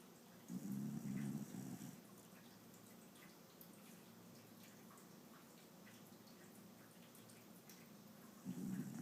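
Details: Shiba Inu named Yuki asleep and snoring softly: low, rumbling breaths about a second and a half long, one near the start and another beginning at the end, with quiet hiss between.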